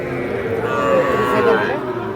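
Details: Cattle at Ambari cattle market in Parbatipur upazila, Dinajpur district, where small bulls and heifer calves are sold on 25/5/26. A roughly one-second harmonic moo, steady then slightly falling, rises over continuous market chatter and background voices.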